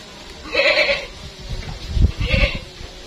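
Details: Etawah crossbred goat Mondy, a very large animal kept at Lek Men Farm in Indonesia, bleating twice in a nasal, wavering voice, with low thumps and handling noise in between.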